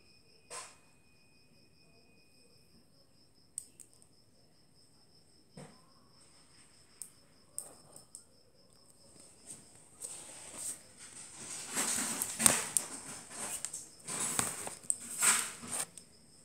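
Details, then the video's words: Click beetle producing sharp, isolated clicks at irregular intervals of one to two seconds, followed by a denser stretch of loud crackling and rustling; a faint steady high-pitched whine runs underneath throughout. "Clicking Click Beetle"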